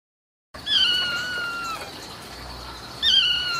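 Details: Ragdoll kitten born and raised in a home cattery in central Kansas, kept without cages; a long, high, thin mew drifting slightly downward for over a second, then a second mew starts after a short pause, in a quiet room.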